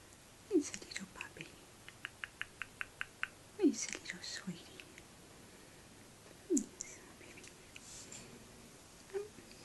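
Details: Orphaned two-week-old male grey-headed flying fox pup named Brave Heart, in care with Adelaide Bat Care: short downward-sliding squeaks roughly every three seconds, between bursts of soft rapid clicking and faint rustling indoors.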